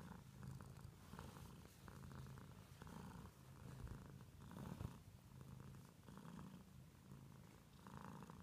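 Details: House cat purring close up, a deep continuous rumble rising and falling with each breath, about once a second, with soft rustling in between.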